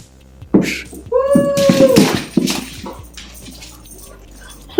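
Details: A female Siberian Husky, on her ninth birthday during a cake and toy surprise, "sings" a drawn-out, wavering howl that swells and then slides downward, among excited human voices.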